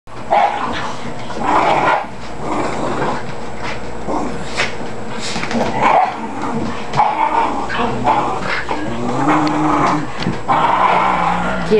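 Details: Several dogs play-fighting during playtime, including a small white dog acting wild; rough growls and short barks overlap in a continuous scuffle, with a person urging the dogs on.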